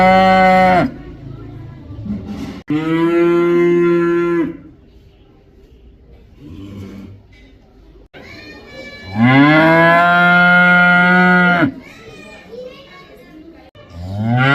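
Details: A cow lowing repeatedly: three long, loud, harmonic moos of about two seconds each, separated by quieter grunts and low background noise, with a fourth moo starting at the very end.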